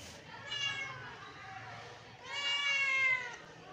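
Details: Hungry British Shorthair kittens meowing for breakfast: two drawn-out, harmonic-rich meows, the second louder and longer, with quiet room background.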